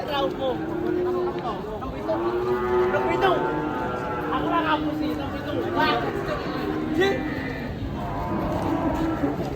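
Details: Heavy cattle being taken off a truck and weighed in Indonesia, a series of wavering moos over steady crowd chatter and background music.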